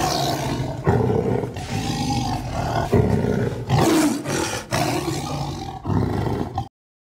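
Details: Sumatran tiger from Indonesia giving a series of heavy, gravelly roars, each bout starting abruptly and fading, about five pulses over six seconds before silence.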